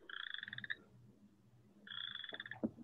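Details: Western chorus frog (Pseudacris triseriata) males calling in a large breeding chorus, with two bursts of rapid, metallic pulsed trills like a thumbnail run along a comb.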